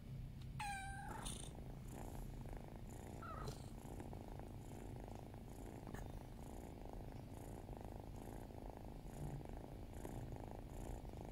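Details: Drowsy house cat Loki, asking for petting, gives one sharp descending meow near the start, then settles into continuous rhythmic low purring.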